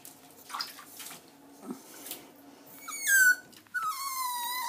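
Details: Jack Russell Terrier Diesel at its first bath, soft rustling and water noise before two loud high whines near the end, each falling steeply then held as a thin whine.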